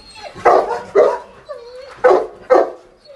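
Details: Dogs of assorted breeds, including Doberman, Cane Corso and Pitbull, barking: five loud harsh barks in two pairs plus one, with a short whine between and a man's exclamations nearby.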